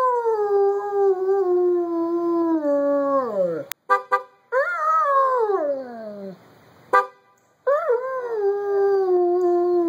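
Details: A pet dog howling in response to a car horn: long sustained howls sliding slowly downward, broken by short sharp horn blasts around four and seven seconds, then a rising howl that settles into a steady tone.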